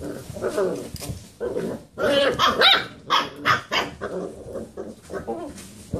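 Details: Playing Basset Hound puppies circle a computer chair, giving a dense run of yips, roos and small barks, several overlapping, with scuffling noise underneath.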